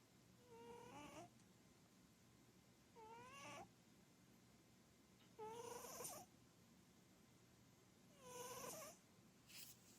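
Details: Chubby short-legged Munchkin cat asleep on a sofa indoors, snoring loudly; tonal, whistly wheezing snores with a nasal harmonic ring, each under a second long, recurring roughly every two and a half seconds with quiet breathing gaps.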